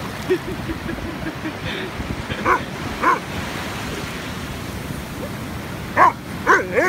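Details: Afghan Hound called Boomboom on the beach gives scattered sharp yips, a few early, two near the middle and a tight cluster toward the end, over steady surf-like background noise.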